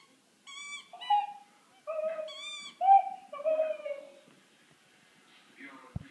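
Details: Pluto, a Wheaten Terrier, gives a run of short, bent howling notes that rise and fall in quick succession, then trails off into quiet near the end.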